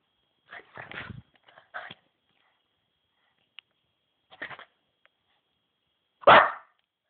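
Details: Alfie, a pet dog, excited indoors after a walk, giving a few short yipping cries followed by one loud sharp bark near the end.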